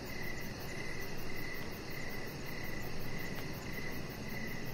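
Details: Crickets calling in the evening outdoors beside a deck, high pulsed chirps coming in clusters about every second, partly buried in steady hiss.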